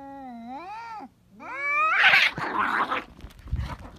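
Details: Cats in a fierce fight: two wavering, tonal yowls that dip and rise, followed by an explosive burst of harsh screeching and spitting, fading into scuffling noise.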